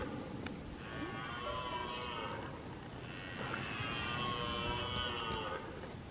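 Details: Red deer males roaring during the rut, part of a herd in the Weerterbos on 23 September 2019: two drawn-out, harmonic, groaning roars of about two seconds each, separated by a short pause, over a soft background hiss.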